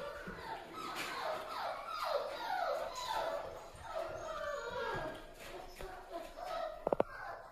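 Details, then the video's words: A litter of newborn Toy Poodle puppies cries in a small room, with many short falling whines and squeaks overlapping steadily. A brief sharp click is heard near the end. "トイプードル 可愛らしく健康的な赤ちゃんが産まれました"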